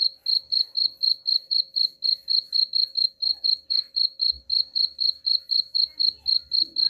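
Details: Cricket sound meant to chase rats away: rapid, rhythmic high chirps around four per second, sharp and uniform, over faint low-pitched background knocks.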